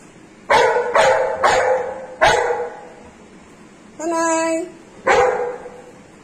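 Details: Female Golden Retriever at home showing her toy to her owner before the morning walk: a run of four sharp barks, a high sustained squeal, then one more bark.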